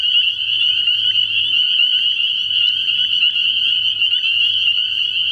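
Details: Many spring peepers calling together at night from a frog pond early in the year, a thick, steady shrill chorus of overlapping high peeps, individual notes poking out now and then above a faint low hum.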